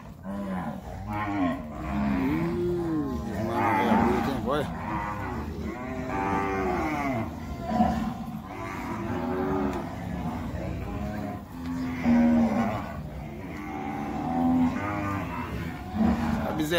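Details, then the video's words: Nelore herd being called and moved at weaning time on a farm, with many cows mooing at once in long, overlapping, wavering bellows, some rising then falling, almost continuous throughout amid low background rumble. "Chamando o gado Nelore"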